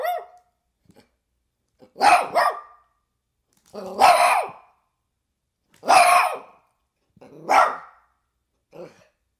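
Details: Dog barking in single and doubled barks, each separated by about two seconds of silence. The barks are loud and harsh, with a brief fainter bark at the end.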